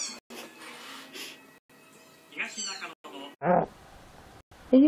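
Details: Domestic cat giving two short, loud, harmonic meows near the end, the second sharper and higher, after a stretch of quiet murmuring voices and faint background sounds.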